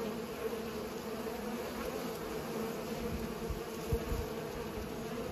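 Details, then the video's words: Pollinating bees give a dense, droning buzz that holds level, with a few low thumps and rustles underneath. "Bees are pollinating"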